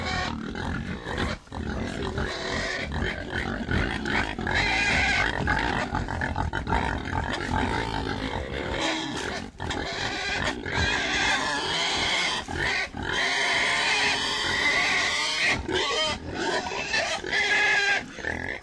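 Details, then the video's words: A crowd of pigs keeps up steady rough grunting with frequent shrill squeals cutting through, a noisy, unbroken chorus with a few short dips in loudness. "Pigs (Grunt and Squeal)"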